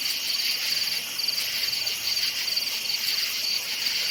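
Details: Forest crickets at night: high, sharp chirp trains repeating roughly every half second above a steady buzzing chorus of other insects.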